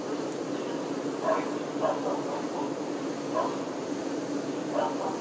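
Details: A steady low hum from honey bee workers tending the queen runs throughout, broken by a few short, louder mid-pitched bursts from another source, spaced roughly a second or two apart.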